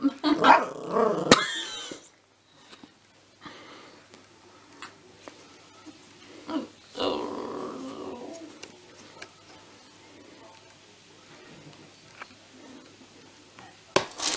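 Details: Puppy at home letting out a loud cluster of rough, growly yaps at the start, then near quiet with scattered small thumps and a brief harsh burst midway. A final sharp sound comes at the very end.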